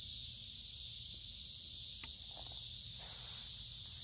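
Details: Cicadas sing loudly in the woods along a creek on a warm, humid midsummer day, a continuous high, hissing drone that never pauses, with faint rustling beneath.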